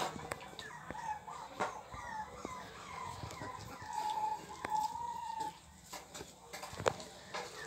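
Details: Pit Bull puppies, 24 days old, among them a male named Sansão, still unsteady on their feet; drawn-out high whining cries, one long steady whine near the middle, with scattered clicks and handling noise.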